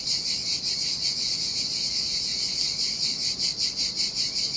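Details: Sardinian seaside cicadas in summer heat near a lonely beach, giving an unbroken high-pitched sizzling drone with rhythmic swells, several pulses each second, and a quiet low noise bed beneath.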